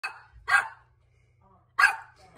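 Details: Pet dog barking at an air vent: three sharp, harsh barks, the second about half a second after the first, the third following a pause of over a second, over a low steady hum.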